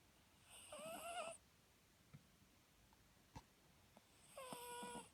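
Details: Papillon dog snoring while asleep indoors; two drawn-out snore breaths about four seconds apart, each with a whistling nasal tone riding over raspy breath noise. Soft clicks are heard in the quiet gap between them.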